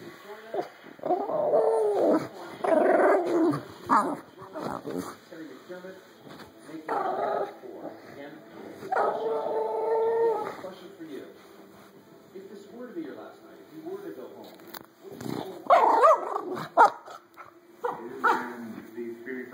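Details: Pet bulldog making funny, yodel-like noises indoors: drawn-out moaning and warbling calls with wavering pitch, in several bouts across the recording, some short yips near the end, with background household sounds.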